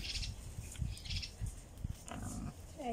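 Wild boars grunt in low, rough bursts, with a brief higher squeal near the end.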